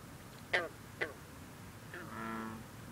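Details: Two quick plucked gunk notes from a green frog (bronze frog), then a longer droning call from the background chorus of bullfrogs and other green frogs, on a cool, humid night with light fog over the water.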